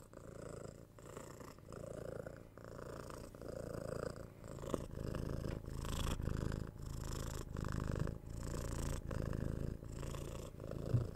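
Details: Purring of a six-month-old kitten being cuddled, patted and scratched on the head, recorded on a 3Dio binaural microphone; a deep, steady rumble broken into breath cycles about every half second to second, with soft contact noises.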